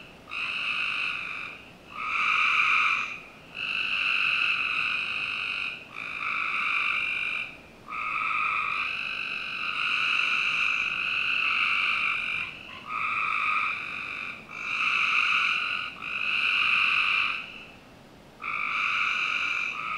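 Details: Continuous frog trilling on a summer night in a Northern Virginia backyard: a long series of buzzy, even trills of one to two seconds, closely spaced and sometimes run together, with only short breaks.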